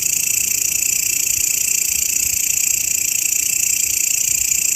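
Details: Grasshopper call offered as a master sound for songbird training: continuous shrill, hissing buzz with even, rapid pulsing and no break, no other clear sounds.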